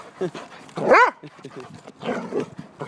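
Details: A dog begging for food lets out a short, arching yelp that rises and falls, set among soft scuffling and a human voice speaking nearby.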